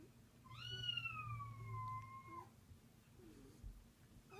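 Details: Thirteen-year-old domestic cat Cleo, angry at other cats meowing: one long drawn-out meow holding steady then sliding slightly down, with a faint low hum underneath and a short higher call near the end.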